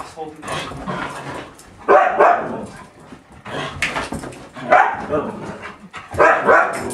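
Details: A Siberian Husky reacting to a computer running Windows XP gives drawn-out, wavering yowls in short bursts, mixed with a little speech.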